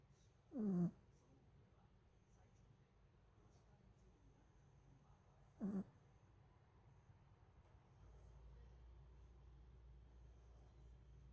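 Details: Pomeranian dog asleep on top of a person, snoring: two short, snorting breaths that fall in pitch, about five seconds apart, in a quiet room, with a faint low hum rising near the end.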